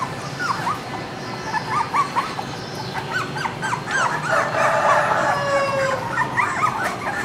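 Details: Female Cardigan Welsh Corgi puppy giving a string of short, high whimpers that rise and fall irregularly, then a longer, steadier whine near the end, with a continuous low background hum.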